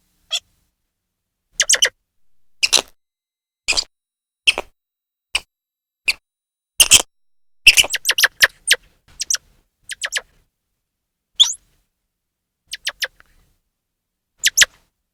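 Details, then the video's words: Grey squirrel calling loudly: sharp, clicky chirps in short bursts and clusters, irregularly spaced, some doubled, with brief quiet gaps between them. "loud squirrel 🐿 chirping sound | grey squirrel call"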